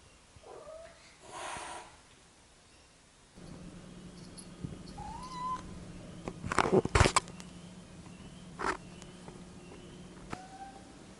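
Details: Domestic cats Pepi, the resident, and newly adopted Jazzy at their first face-to-face meeting after two weeks of scent introduction; brief rising meows near the start, middle and end, over a steady low hum with a few sharp knocks.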